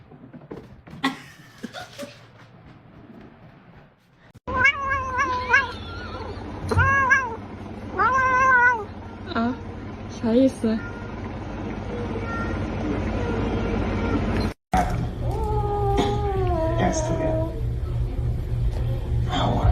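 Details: Pet cat from a compilation of hilarious cats meows repeatedly: a run of short rising-falling meows about once a second, then a pause with background hum, then a longer wavering meow with faint rustling.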